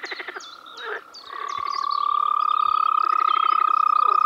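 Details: Frog in the Czech Republic in spring: a few short pulsed croaks, then a loud, fast, sustained trill at an even pitch running to the end, with birds calling in the background.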